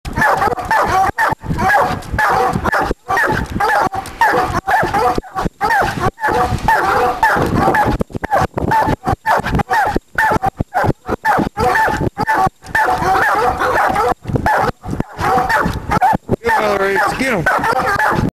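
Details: Hound in training barking repeatedly in a fast, steady run of loud, harsh barks with a tonal ring, continuing almost without pause throughout.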